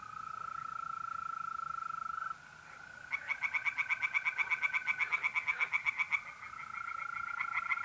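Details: April night in north-east Italy, tree frogs in a pond: a steady mole cricket trill, then a three-second run of rapid, grating croaks, after which the cricket trill carries on alone.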